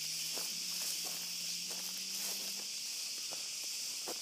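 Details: In an olive grove at night, cicadas keep up a steady high buzzing drone while footsteps crunch repeatedly in the foreground on a dog walk, and a low steady hum sounds for the first few seconds.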